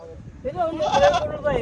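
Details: Male goat at the Dhanaula goat market. A quavering, nasal bleat wavers for under a second in the middle, with men's voices talking close by.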